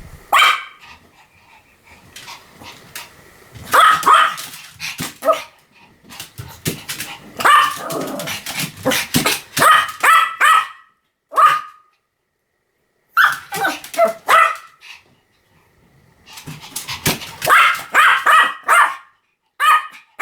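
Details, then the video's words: Pomeranian barking in rapid, yappy runs of high sharp barks, several bursts of five to eight barks separated by short pauses. "犬の鳴き声 ポメラニアン 1000回吠え"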